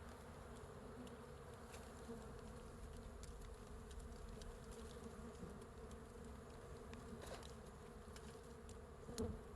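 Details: Bees of a large wild hive hanging from a tree branch in natural forest, the hive covered with bees; a steady low droning hum with a band near its middle pitch, holding even throughout, with faint ticking clicks above.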